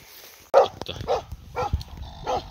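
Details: Finnish Hound barking during a raccoon dog hunt on 27 August 2022, the day the hunting season opened. Four short, loud barks come at uneven intervals over a couple of seconds.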